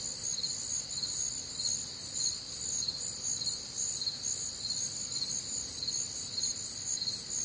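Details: Crickets calling through a warm, humid Midwestern summer night: shrill, pulsing chirps about twice a second, stacked in high bands over a faint low-frequency hum, the chorus unbroken for the whole stretch.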